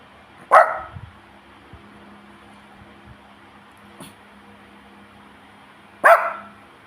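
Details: Pet dog, hungry for a treat, gives two short sharp barks about five and a half seconds apart, with a faint tap between them in a quiet room.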